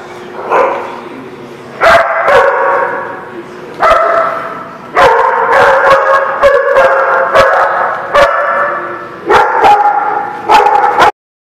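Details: Dog recorded on 2 February 2019, barking repeatedly in a series of about a dozen sharp, harmonic, somewhat yelping barks, irregularly spaced, sometimes in quick doubles, ending abruptly.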